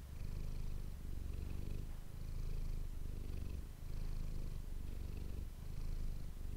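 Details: Domestic cat named Manis purring, recorded up close with an ASMR microphone indoors; a low, continuous rumbling purr that swells and eases in cycles of roughly two seconds, matching inhale and exhale.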